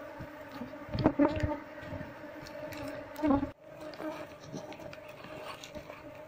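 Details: Honey bees from a wild colony nesting inside a wall, under the window-frame beam, disturbed while a keeper smokes them and searches for the queen. A steady low droning hum with clear overtones runs throughout, broken by sharp knocks and scraping thuds.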